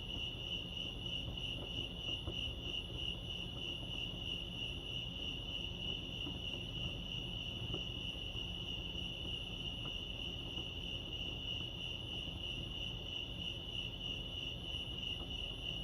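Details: Crickets chirping at Lake Arrowhead, California: a steady, high pulsing trill with a bright band and a fainter overtone above, continuous throughout, over a low rumble of background noise.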